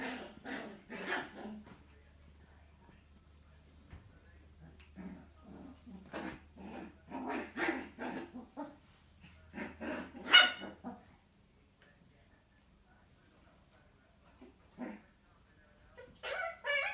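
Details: Six-week-old miniature poodle puppy being disciplined by his mother, indoors: bursts of harsh growling and yapping barks in clusters, a quiet stretch, then a few more short yelps near the end.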